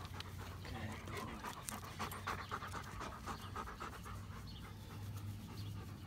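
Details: Close, fast panting from a pet dog in the company of Odin, Hannah and Midnight: hoarse breathy huffs repeated nearly four times a second at an uneven pace, with a low background hum and a few spoken words.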